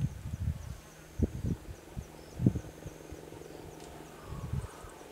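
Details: A female leopard at Toulon, Sabi Sands, greater Kruger, gives a territorial rasp while looking at the camera after grooming and yawning, filmed with a 7D Mark II and 100-400 lens: deep, rough sawing grunts in uneven bursts, with a faint insect buzz above.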